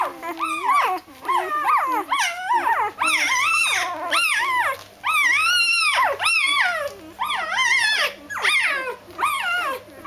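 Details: Doberman puppies going to bed cry in long, rising-then-falling whines, about one drawn-out wail per second in close succession, bright and strongly harmonic, over a low steady hum.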